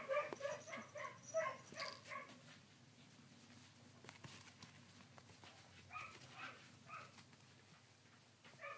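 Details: Sixteen-day-old collie puppies, recorded on 3 June 2013, give brief bursts of thin, whiny squeals at the start and again near the end, with a long quiet stretch of faint background rustling between.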